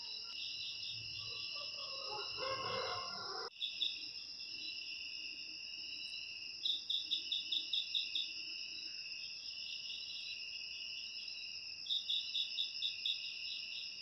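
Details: Cricket sound meant to chase rats out of homes: steady high trilling bands with bursts of fast pulsed chirps. A rooster-like crow is heard at the start before an abrupt cut.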